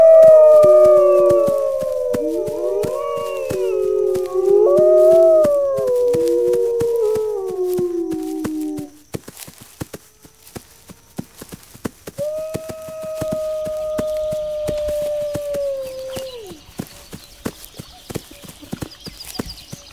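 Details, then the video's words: Wolves howl in a chorus, several overlapping wavering voices rising and falling for about nine seconds. After a pause one long, steady, slightly falling howl follows. Sharp crackling clicks run throughout. "Wolves Howling"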